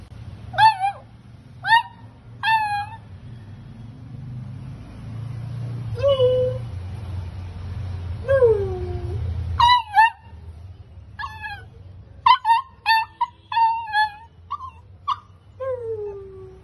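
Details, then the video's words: A male beagle puppy, described as a drama queen, gives high, wavering yelps and short howls that slide downward in pitch. "Beagle puppy Titch - the drama queen - Cute sounds of Beagle puppy"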